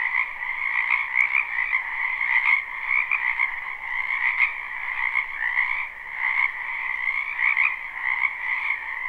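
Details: Many frogs croaking in a spring wetland behind a house, recorded live: a dense, unbroken chorus of overlapping trilled croaks in two steady bands, a mid and a higher one, with small pulses of extra loudness every second or so.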